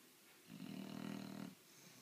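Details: Ten-month-old bulldog snoring indoors: one rough, buzzing, vibrating snore lasting about a second, over faint room hiss.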